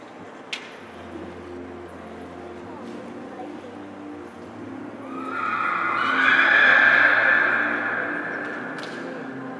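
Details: Akhal-Teke horses, purebred stock offered for sale in Dubna, Moscow Region, Russia: after quiet background hum and a sharp click, a loud, drawn-out, bright whinny swells for about three seconds, then fades.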